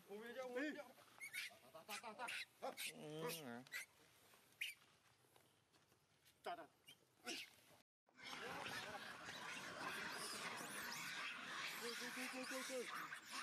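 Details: Young monkey Leo screaming as his mother Libby abuses him; loud, wavering, high screeches in quick bursts through the first four seconds, a quieter stretch with short cries, then a sudden rush of broad noise.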